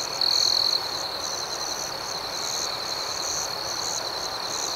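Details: Crickets at night: a steady, high-pitched chirping chorus with a faster pulsing layer above it. A louder, brighter trill from one nearby cricket stands out for about half a second near the start.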